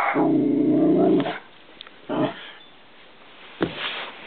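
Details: Millie, a 10-month-old pet Westie, plays indoors with a balloon: a long low rumbling growl, then two short yipping bursts separated by quiet pauses.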